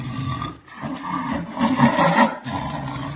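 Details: Jaguar roar: a rough, grunting, throaty sound with strong low harmonic bands, swelling to a louder burst near the middle, briefly dropping, then continuing at a steady hoarse level.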